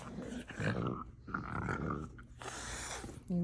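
A French Bulldog makes low, throaty grumbling and whining noises, with a person speaking alongside.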